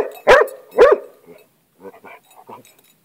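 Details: A pet hound, obsessed with lizards, barks while interacting with a lizard: two loud, sharp barks in quick succession about half a second apart, followed by softer, scattered yips and rustling.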